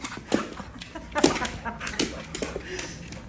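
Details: Mary, a pit bull dog, playing chase games with her owner: short rough huffing and whimpering bursts at roughly one-second intervals, with a faint human voice in the background.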